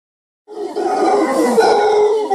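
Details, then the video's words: Warning roar of an alpha male mantled howler monkey, one of a large wild clan climbing through thick bamboo forest in Costa Rica; a loud, sustained, harsh rasping roar that starts abruptly after a short silence and holds steady. "Wild Howler Monkey Sound: Hear the Rare Warning Roar of an Alpha Male"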